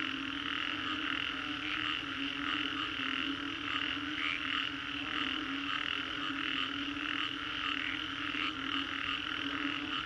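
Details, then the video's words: After a storm in the Green Corridor, Singapore, a crowd of frogs keeps up a dense rasping chorus, layered high trills pulsing irregularly above a continuous low drone, loudest around four and eight seconds. "Frogs after Storm"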